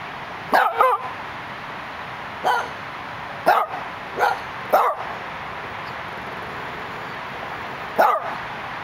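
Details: Male Dachshund looking out through a gate in Los Angeles, giving six sharp, short barks in irregular bursts, some paired closely, with pauses of up to three seconds, over a steady hum of city traffic.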